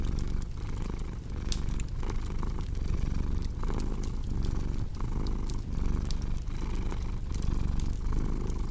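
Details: Low, rolling cat purr repeating in breath-paced cycles beneath a busy crackling fireplace whose snaps and pops stand out above the rumble.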